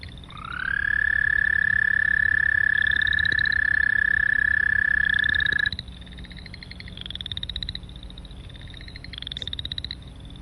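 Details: American toad, a species of varied terrestrial habitats whose long monotone trill can last 30 seconds, played back: a loud, steady, unbroken trill holding one pitch for about five seconds. Afterwards, fainter repeated rising chirps come from boreal chorus frogs in the background.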